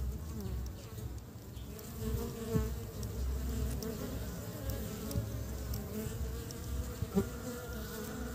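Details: Honey bees gathering pollen to build the nest in early spring, heard as a continuous low buzzing drone with shifting pitch, a deep rumble underneath and a brief sharp tick near the end.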